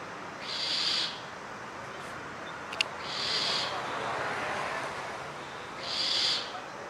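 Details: An Indian grey mongoose near a home in urban Mysuru on 1 April 2023 gives three high, breathy squeals, each under a second, an alarm call while searching for its partner.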